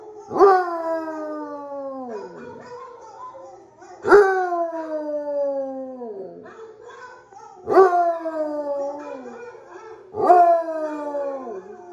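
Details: A Basset Hound howls back at other dogs' howls playing from videos, giving long, falling wails, each starting abruptly and sliding downward.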